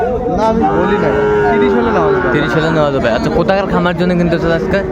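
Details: Cattle at a market in Mymensingh, Bangladesh, on 14 January 2025, where a farmer buys the smallest bull and heifer calves; one long, steady, low moo lasts about three seconds, then people's voices and market chatter take over.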